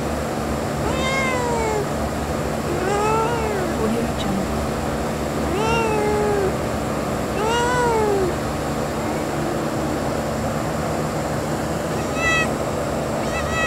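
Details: Kitten outdoors in nature giving about five arched, drawn-out meows spaced a few seconds apart, each rising then falling, over a steady hiss of background noise.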